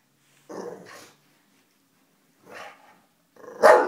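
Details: Bulldog Harley, fearful of someone chewing gum, gives a short growly vocalisation, a softer huff, then one loud sharp bark at the end.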